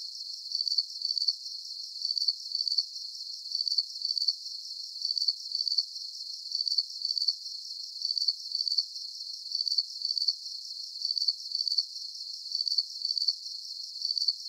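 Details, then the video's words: Crickets chirping as a calming night sleep soundscape: high, short pulsed chirps in close pairs, repeating steadily about every half second over a faint shimmering hiss, with no other sounds. "Calming Cricket Sounds"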